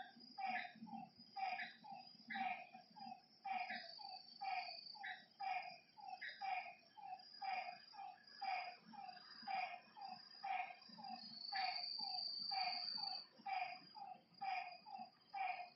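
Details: Night chorus of frogs beside a lake: a steady run of short, low croaking notes, many doubled, with rough higher overtones, set against an unbroken high-pitched insect trill.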